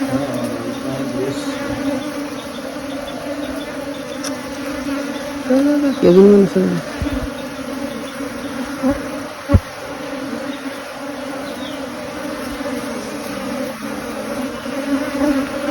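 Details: A swarm of honey bees being caught: a steady, low droning hum with a fainter overtone held throughout, a short human voice rising over it midway, and a single sharp knock later.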